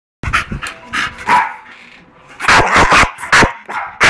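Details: Staffordshire Bull Terrier attacking in Málaga, giving loud harsh barks in irregular bursts, a cluster early on and a denser run of sharp barks after a short quiet gap.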